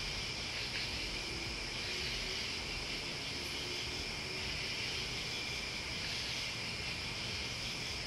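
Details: Steady insect chorus of crickets and bugs, a dense high ringing buzz without clear breaks, over a quiet low background murmur.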